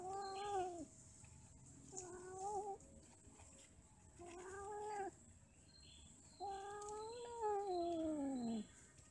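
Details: Domestic cats mating and quarrelling: four long, drawn-out yowling wails, each about one to two seconds, wavering and bending downward at the end, separated by short quiet gaps with faint background hiss.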